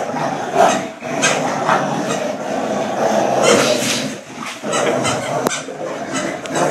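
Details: A Pit Bull and a German Short-haired Pointer growl while playing a friendly game of tug of war. The growling is dense, rough and continuous, with brief pauses and sharper bursts near the middle.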